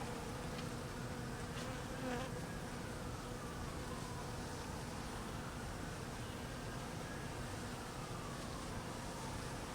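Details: Hungry honey bees during cold weather while being fed, giving a continuous soft low drone that stays even throughout, with a faint sweeping tone in the background.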